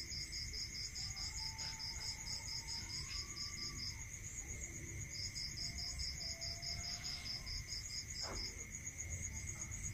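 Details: Night crickets in a rural area produce two long runs of quick pulsed chirps over a steady high tone; a faint whistled sliding note and low rumbling noise sit in the background.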